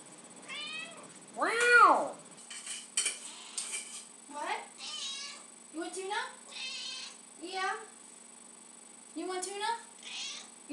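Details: Lucy the house cat begs for tuna with repeated meows: one long loud arched cry early on, then many shorter bent meows roughly every second, while a person talks to her indoors.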